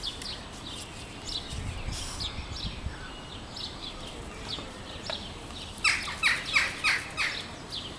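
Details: Bush dogs at Madrid Zoo, playing chase, give high, thin squeaks in quick chirping bursts, strongest near the end.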